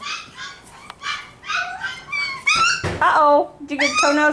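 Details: Litter of five-week-old F1b Cavapoo puppies indoors at a Missouri kennel, several high whining cries and yelps overlapping, some rising and falling, mixed with a person's voice and a brief thump.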